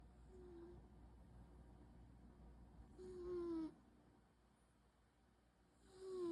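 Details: Munchkin cat snoring, quiet indoor recording with two audible breaths, each a breathy rasp carrying a thin, slightly falling whistle, near the start of the second half and again at the end, with soft low background hum.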